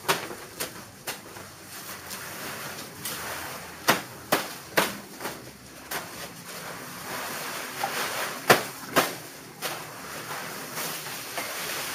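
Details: Barn ambience with repeated sharp knocks and clatter over a steady hiss and faint background noise; no animal voice is heard.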